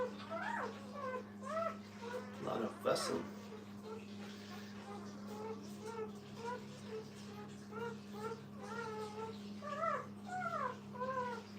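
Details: Puppies with their mother giving a steady stream of short, high, wavering whimpers and squeaks, several overlapping, with a brief louder yelp near three seconds over a constant low electrical hum indoors.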